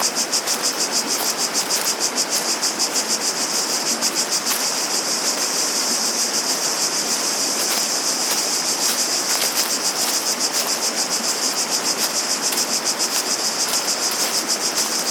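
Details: Cicada chorus: a continuous, shrill buzz throbbing in rapid regular waves of roughly three beats a second, laid over constant broadband water noise and a few faint clicks.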